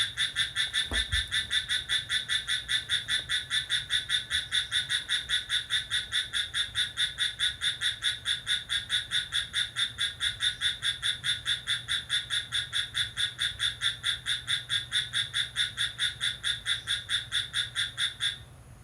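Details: Lively midnight cricket, recorded on 6 July, keeps up a continuous, evenly pulsed shrill chirping for about eighteen seconds and then stops abruptly. A low background hum and a brief thump near the start are also heard.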